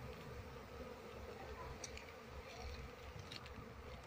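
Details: Quiet, constant drone of a wild Apis cerana swarm during its move into a hive box while the queen is sought, with a few faint high clicks over the hum.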